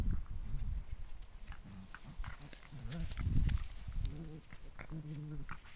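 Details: Six-week-old Cavalier King Charles Spaniel puppies from one litter give short, nasal whines and soft yips in quick succession.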